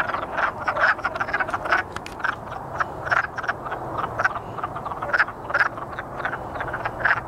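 A chorus of wood frogs gives rapid, clucking, duck-like croaks in overlapping bursts.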